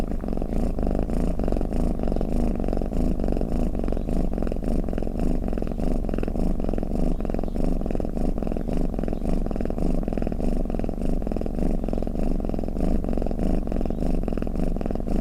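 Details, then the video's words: Long stretch of a cat purring in its sleep, a deep throbbing hum that never stops, softly pulsing with each inhale and exhale, steady throughout. "เสียงแมวกรน เปิดให้แมวฟังเคลิ้มๆไปเลยค่ะ | Snoring Cat"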